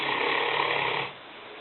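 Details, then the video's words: Five-year-old female Newfoundland Lena, 150 pounds, sleeping in the kitchen: the tail of a rough, raspy snore lasting about a second before fading into quiet indoor stillness. "Lena (Neufundländerin) schnarchend - Lena snoring"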